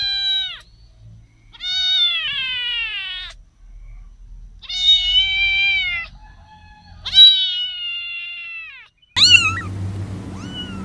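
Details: Cat uttering a run of long, wavering meows, four drawn-out calls spaced about two seconds apart, followed by a sharper, louder meow with a brief burst of noise.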